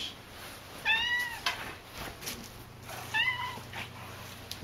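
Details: Talkative house cat Cassidy makes two short, soft meows about two seconds apart, partly masked by rustling and broadband household noise.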